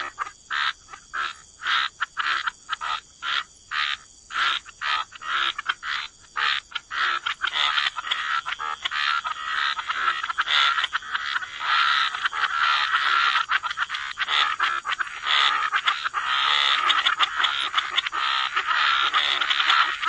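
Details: Frogs croaking by the waterside in a wetland chorus: rapid, pulsed croaks repeating nearly twice a second, sparse and separate at first, then merging into a dense, continuous overlapping chorus; a steady high insect-like hum runs beneath.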